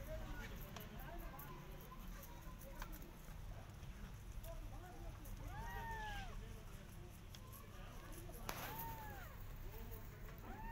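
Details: Persian cat and her adopted kittens out in a garden, carefully watching rabbits; a few short arched mews, two clearer ones near the middle and end, against steady low background rumble and scattered clicks.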